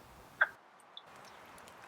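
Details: A lone wood frog, still calling at a vernal pool in Vermont after the others have left, gives a single short, hoarse cluck over a soft hiss on a warm rainy spring night, 17 April 2023.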